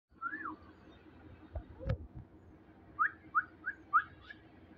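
Shih Tzu puppies give thin, whistle-like whines: one rising-falling cry, then four quick rising squeaks.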